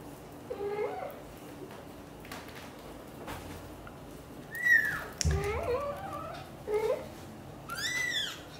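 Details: British Shorthair mother cat Xaxa and kitten Piano indoors as she coaxes him to stay and play with his siblings; a series of meows, some lower and wavering, others high, sharp and rising, spaced a second or two apart, with soft thumps between.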